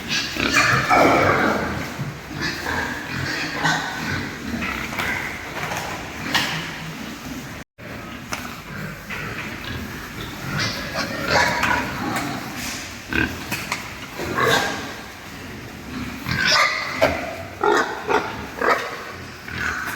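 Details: Super lean pigs over three months old, born and raised on a pig farm, producing a busy mix of grunts, snorts and sharp squeals in rapid bursts, with clattering and constant pen noise throughout.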